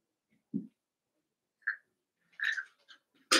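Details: Cavalier King Charles Spaniel puppies, Daisy's six litter merged with Robin's two into a group of eight, playing indoors: a low grunt, then short high squeaky yips in quick clusters, ending in a loud sharp yelp.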